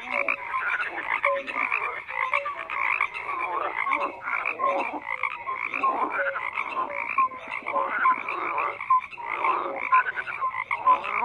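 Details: Many frogs croak together in a thick continuous chorus of raspy calls, brief clear tonal notes scattered through, rising and falling in loudness.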